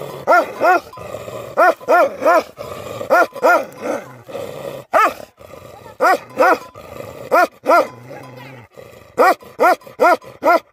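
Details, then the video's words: Deep, rich barking from livestock guardian dogs, delivered in steady pairs and triplets roughly every second over about ten seconds, with a faint low drone between the barks. "Livestock Guardian Dogs Barking"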